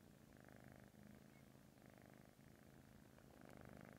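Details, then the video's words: A British Shorthair cat purrs steadily while asleep, a low snore-like rumbling vibration that swells and eases with each breath. "Snoring cat 😁 Purring Sleeping Cute Cat Coco"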